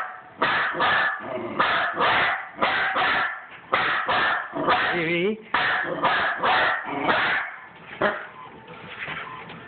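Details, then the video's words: A female house dog going berserk at a printer during printing, letting out loud, rough barks in quick runs of two or three, about one per second. A person's voice is heard briefly midway. "My crazy dog barks at the printer"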